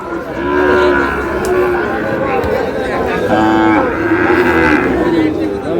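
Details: Sahiwal bull at a cattle market in Brahmanbaria, Bangladesh, 27 February 2026: two drawn-out, harmonic, low moos, the first near the start and a shorter one midway, over steady crowd chatter and nearby talking.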